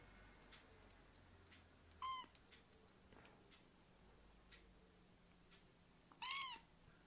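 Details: Rescued baby kittens in volunteer foster care, playfully jumping onto a man's leg together; two short high meows, one near the two-second mark and a louder, rising-falling one about four seconds later, over quiet indoor background.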